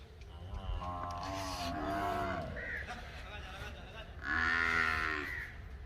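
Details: Nili-Ravi buffalo at a semen production unit in Multan: one drawn-out, low, richly harmonic moo lasting about a second and a half, sagging in pitch at its end, followed by loud crow caws and faint background chatter.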